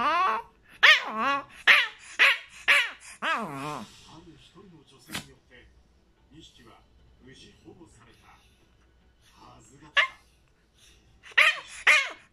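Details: Chihuahua named Rana appealing for something, perhaps wanting to be held. High, harmonic whining yelps with bending pitch come in a quick run about twice a second for four seconds. Softer murmurs follow, then another short burst of whines near the end.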